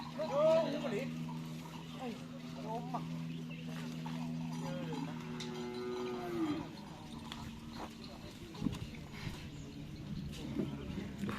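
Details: Cattle at karapan sapi (bull race) training on the Asemanis field in Pamekasan, ahead of district-level selection. A long, low, droning moo holds steady for about six seconds while people talk throughout.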